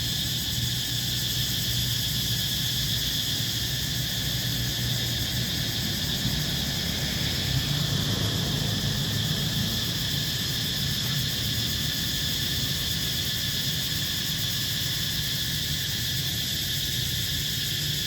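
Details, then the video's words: Cicadas in Siem Reap, Cambodia fill the air with a steady, high, shimmering buzz that never breaks. "Cicadas making their buzzing sound once a year"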